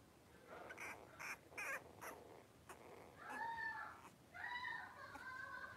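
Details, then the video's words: Three-week-old blenheim Cavalier King Charles Spaniel puppies, a litter of five born at New Year's, wrestling and playing in a home puppy pen; several short sharp yips, then two drawn-out harmonic whines that rise and fall, against steady room hiss. "3-Week-Old Cavalier Puppies Wrestle and Play Live"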